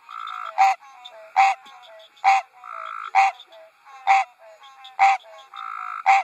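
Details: A male American green tree frog sitting on a lily pad at a water lily farm on a spring night gives its nasal, honking mating call, repeated about once a second.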